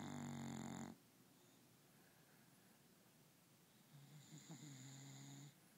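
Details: Domestic dog asleep indoors, giving one loud rasping snore at the start, then a softer, lower drawn-out snore after a short quiet pause.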